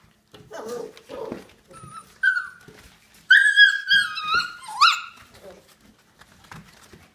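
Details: Samoyeds rumbling indoors: short low grumbles, then drawn-out, yodel-like harmonic calls that hold level, rise and drop before trailing off into soft grunts.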